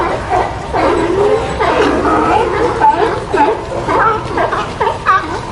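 A sea lion gives strained, wavering barks and groans in quick, uneven bursts.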